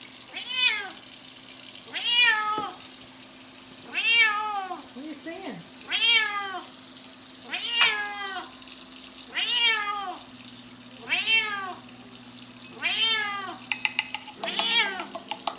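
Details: A Bengal cat meows over and over, each call a bright arched wail about every two seconds.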